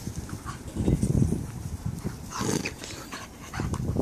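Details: Puppies at play with their babysitters, giving short low growly rumbles in bursts around the first and third seconds, with soft panting and handling noise between.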